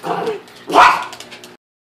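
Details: Pet dog, excited by a fish tank and standing up on two legs, gives a short low woof followed by a louder, sharper bark, about one second of sound in total, then silence.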